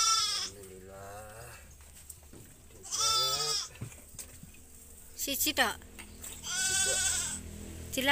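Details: Goat bleating during an assisted birth of a kid: three strained, wavering bleats with rich harmonics at the start, around the third second and near the end, with people talking in the pauses between them.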